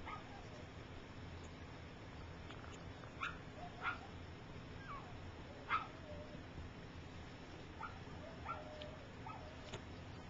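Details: Three-week-old puppies of Gypsy, learning to walk while others sleep, give thin squeaking whimpers, some slurring downward, at irregular intervals of one to two seconds against a constant low hum.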